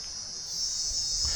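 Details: Very loud crickets in a wild Kenyan forest, giving a steady, unbroken high-pitched trill that holds at the same pitch throughout, with a faint low rumble underneath.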